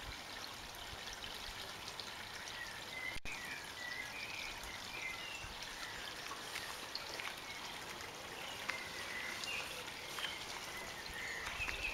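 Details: Steady hissing background like trickling or pouring water fills the recording, with scattered faint ticks and no clear animal call.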